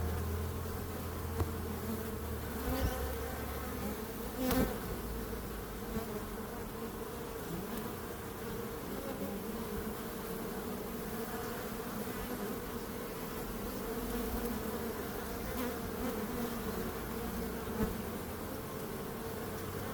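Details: Bees droning continuously in an unbroken buzz, with a deep low hum at the start and a few sharp ticks over the steady swarm sound.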